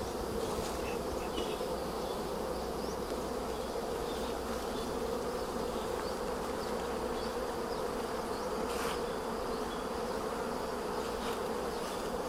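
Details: Honey bees at a hive site in Kampong Cham province, Cambodia, during honey harvest: a dense, steady low hum of many bees throughout, with a few brief clicks and faint rustling.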